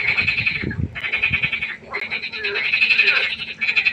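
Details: Frogs at a pond after dark give loud, fast-pulsed, high trills that run in long bursts with brief pauses, mixed with a few lower croaks beneath.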